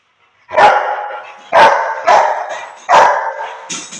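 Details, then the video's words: Aggressive Rottweiler on Koh Samui, Thailand, barking four times in quick succession, each bark loud and harsh, about one second apart. "aggressive #rottweiler"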